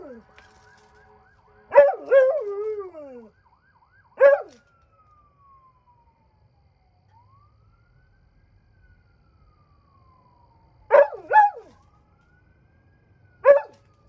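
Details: At night, the dog Birda gives short, falling howls in scattered bursts, some doubled, separated by long quiet gaps in which a faint rising and falling siren-like tone can be heard.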